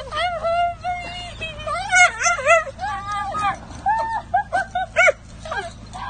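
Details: Dachshund overjoyed at his owner's return after her short vacation. Long, high, wavering whimpers slide up and down, followed by quick short yips, with a person's speech alongside.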